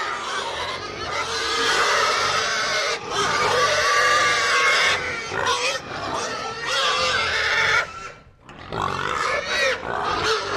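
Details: Loud herd of pigs, overlapping harsh squeals in long bursts of several seconds with grunting between, a short lull near the end, then more screaming.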